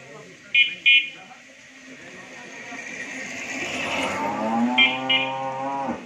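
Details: Dairy cow of Holstein Friesian or Jersey breed at a dairy farm in Bhangura, Pabna, Bangladesh, giving a long, low, drawn-out moo that swells and then breaks off in the last seconds, with two pairs of short electronic beeps and a steady background hum.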